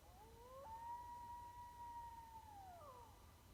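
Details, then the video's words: East Texas coyote howling: a clear sustained tonal wail that swoops up, holds steady for about two seconds, then slides down, with a faint harmonic above and a low steady background rumble. "Actual video (sound) of an East Texas coyote howling."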